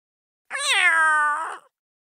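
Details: Domestic cat during mating: one drawn-out meow with clear stacked harmonics, starting with a quick upward inflection, then holding a steady, slightly falling tone for about a second before fading; otherwise quiet.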